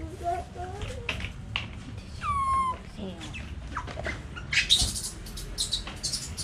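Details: A baby monkey, a young pet, gives thin, high, whistled calls, including a drawn-out note that slides downward, and a few shorter chirps. Clicks, rustling and handling noises are heard around the calls.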